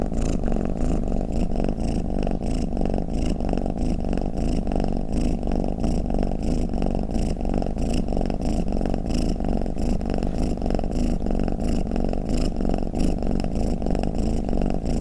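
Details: Snoring pet cat, played to make cats drowsy: an unbroken low vibrating rumble with fine rapid pulsing and recurring soft breath hisses over fifteen seconds, in a quiet room.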